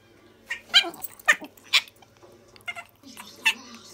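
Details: Dolly, a tiny Chihuahua, indoors while playing with Missy, a Border Collie; loud piercing shrieks in short harsh bursts, about five within four seconds, unevenly spaced, with a soft whine between them.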